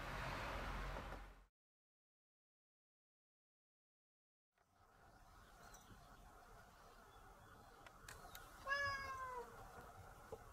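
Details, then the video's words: Stray cat giving one of its varied meows: after a burst of loud rustling noise and a silent gap, a short falling meow sounds over a faint background hum. "のらがいろんな鳴き方をするので聞き比べしてね】Cat to a variety of different squeal way."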